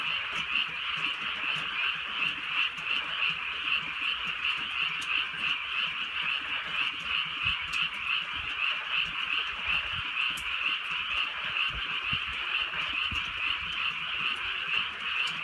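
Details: Countryside frogs at night in gentle rain, many voices blending into a rapid, throbbing chorus of croaks, roughly three pulses a second, steady throughout without pause, with scattered soft rain taps.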